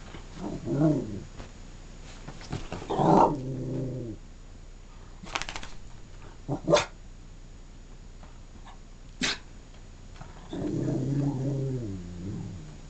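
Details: Wicked, a female pet dog indoors on a bed, talking: three drawn-out, wavering groaning vocalizations, each one to two seconds long and rich in harmonics, separated by rustling and a few sharp knocks.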